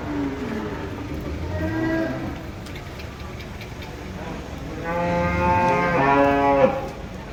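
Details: Cattle coming down off a truck in Indonesia: a low moo early on, then a loud, harmonic-rich bellow from about five to seven seconds, over constant low noise and faint clanks.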